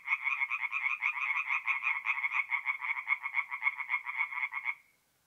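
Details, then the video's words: Night chorus of tree frogs at a forest pond in north-east Italy, mid-April: fast runs of pulsed croaks, about three or four per second, stopping abruptly near the end, followed by silence. "relaxing forest pond by night with singing tree frogs"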